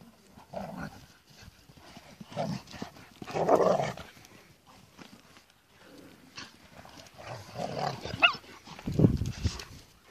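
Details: German Shepherd and her single puppy: low muffled growling and gruff bursts come in two clusters, separated by quiet stretches with light rustling and a brief thin squeak.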